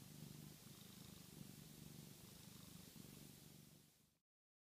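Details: Pluto the cat dozing after going crazy for catnip, making a purring snore: a low, even rumble pulsing about three times a second over steady hiss, ending abruptly.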